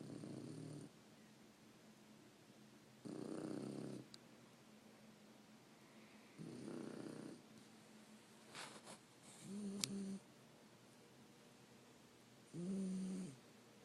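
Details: Three-month-old male Shar Pei puppy asleep indoors, snoring louder over time; low rasping snores in bursts about every three seconds, some with a buzzy rattling tone, separated by quiet breathing.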